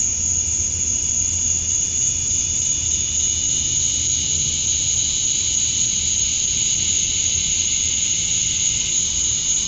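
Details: Summer dusk chorus of male cicadas in Georgia, USA, chirping to draw females: a continuous piercing high whine layered over a softer buzzing tone. It stays level without pauses, with a faint low hum beneath.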